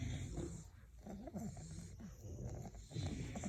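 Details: Sleeping English bulldogs give a short bout of snoring, low, throaty and rattling, with quick snorting pulses that rise and fall steadily over a few seconds.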